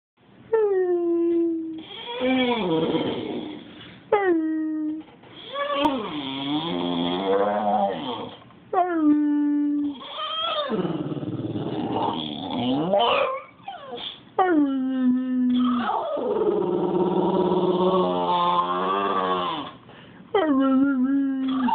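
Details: English Bulldog named Dozer howling, filmed on an Android phone: long, wavering, harmonic howls that slide up and down, broken by short rising yelps, repeated continuously through the recording with no other clear sounds.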